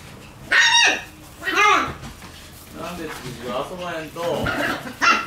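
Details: Shiba Inu puppies in their lively puppy room give a handful of high, bending whines and yelps, each rising then falling, separated by short quiet gaps.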